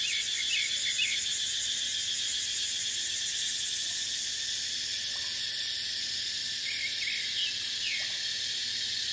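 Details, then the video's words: Cicadas singing in a deciduous dipterocarp forest in Thailand's dry season, a constant intense high whine with a few brief chirp clusters layered on top and light breeze in the background. "เสียงจั๊กจั่น สายลม ในป่าเต็งรังยามหน้าแล้ง"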